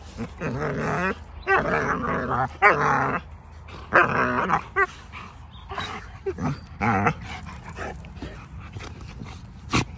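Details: Pack of Cane Corso dogs giving repeated bursts of high, quavering whines and yelps, each about half a second to a second long, separated by short pauses, over low rumbling background noise.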